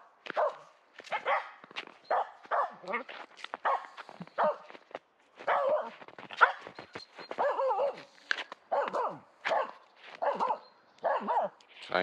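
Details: Aamu, a female Finnish Spitz wearing a cone after a right leg operation, barks at squirrels in a local forest. She gives rapid bursts of sharp, repeated barks, some doubled, with brief pauses between them throughout.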